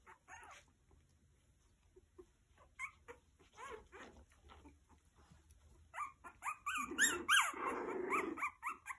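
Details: Meri's Havanese puppies at three weeks old, squealing and whimpering indoors: scattered soft squeaks early on, building to loud, overlapping high-pitched yelps and whines from several pups near the end.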